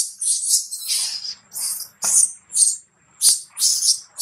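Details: Baby monkey Lola crying loudly for her mother after being mistreated by a little monkey near a drop; shrill, high screeching bursts repeat about twice a second with short gaps between them.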